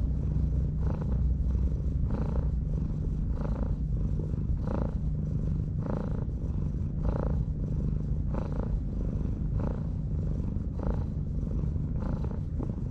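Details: Purring of a stray cat stroked as it rests on a breakwater in Japan: continuous deep vibration with regular breathing pulses about once per second, no other clear sounds.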